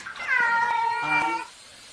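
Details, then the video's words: A cat gives one clear, drawn-out meow lasting over a second, starting high and sliding gently downward, rich in harmonics, in a quiet indoor setting. "Cat Meowing|Strange Sound of Various Cats"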